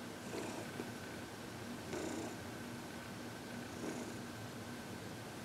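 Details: Heidi, a happy 14-year-old female senior cat adopted from the Humane Society of New York City, during massage and reiki on February 22, 2021; soft purring swells in breath-paced bursts about every two seconds over a steady indoor hum.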